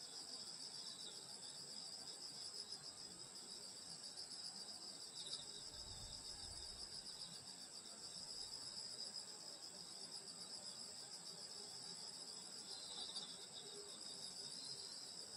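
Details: Summer night insect chorus in the countryside near a grandmother's house, an unbroken high-pitched ringing trill layered in bands, with one soft low thump midway.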